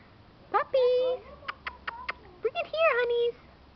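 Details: Keeshond puppies giving high, drawn-out whines, several held flat and steady, cut by short sharp yelps, with a brief burst of human voices nearby indoors.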